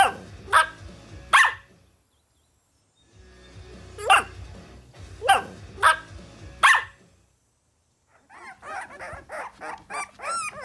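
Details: Puppies at play on green grass, competing for toys, let out scattered single barks separated by pauses, followed by a busier stretch of overlapping yaps and background noise.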